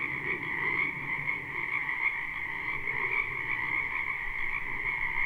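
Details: Frogs croaking en masse in a wetland during spring, recorded live: a constant, buzzing trill holds two steady pitch bands, while some softer, lower calls murmur underneath.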